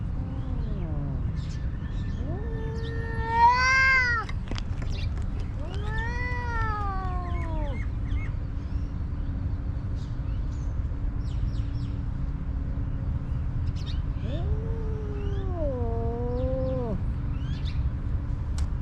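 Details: Stray homeless cat outdoors in Ras Al Khaimah, United Arab Emirates, giving three separate plaintive meows, each rising then falling, spaced several seconds apart, against a continuous low mechanical hum.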